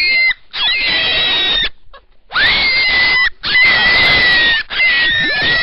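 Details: Piercing, noisy rabbit screams held for about a second each, four loud bursts with short pauses between, a steady shrill tone running through each cry.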